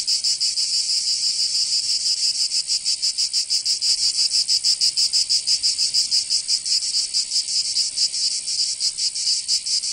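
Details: Cicadas of Provence, southern France, in summer: an unbroken metallic buzzing chorus, high and harsh, throbbing in fast irregular pulses across the whole stretch, no birds or people.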